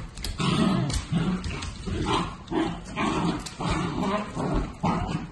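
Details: Mini dachshund at a breeder's, letting out repeated low growling woofs in steady bursts roughly twice a second, deep and rumbling with a harsher edge on each burst, indoors with little else heard.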